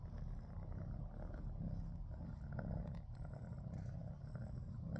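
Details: Pet cat, scared after an attack by a larger cat the previous night, purring in a deep continuous rumble with rhythmic pulsing, fairly even loudness and a faint rustle or click near the middle.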